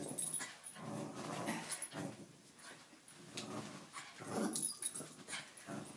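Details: Jack Russell Terrier in a tug-of-war game indoors, producing a string of low, throaty growl pulses about every half second, mixed with rustling and knocks from the struggle over the toy.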